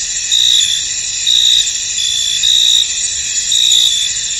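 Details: High, continuous cricket chorus in a mist-covered field, with a louder trilled burst about once a second standing out above the unbroken shrill background.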